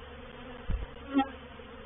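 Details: Honey bees in a reproductive swarm moving into a bait hive (swarm trap) at Painted Peacock Manor, 04/07/21; a steady low droning hum with two brief louder thumps or bumps partway through.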